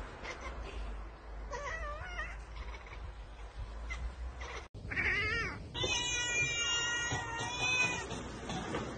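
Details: Pet cat excitedly chattering at prey it cannot reach, a bird or insect: wavering, trilled chirps that rise and fall, ending in a longer buzzy, tightly stacked run of calls.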